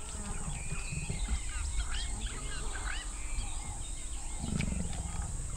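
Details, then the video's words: Two leopards, a large male with a female, mating after coming down from a sausage tree in Botswana's Moremi Game Reserve. Low rasping growls with a heavier burst near the end, and chirping birds throughout. "Leopards Mate In A Tree"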